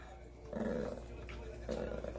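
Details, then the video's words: Maltese dog named Dubu, kept as a pet indoors, begging for food under the table after already eating, while a family member eats gimbap; two short, harmonic whining 'talking' grumbles, answering a woman speaking Korean. "말하는 강아지 | 말티즈는 참지않긔 | 대답하는 강아지"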